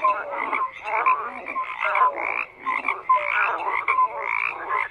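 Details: A dense chorus of frogs croaking, many overlapping harsh, pulsed calls in bursts with brief lulls, plus short whistled tones scattered through the mass of sound.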